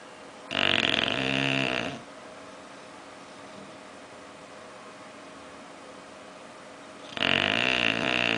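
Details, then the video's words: Oliver, a pet bulldog, snores while sleeping and dreaming indoors: two rough, rasping, broadband snores about a second and a half each, separated by several seconds of quiet room hush. "Meu bulldog roncando"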